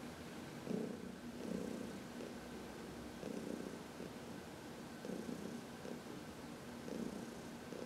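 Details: Purring from Heidi, an elderly adopted house cat enjoying a massage in sunshine on March 19, 2021: a soft continuous low drone swelling into louder breathy bursts roughly every one to two seconds.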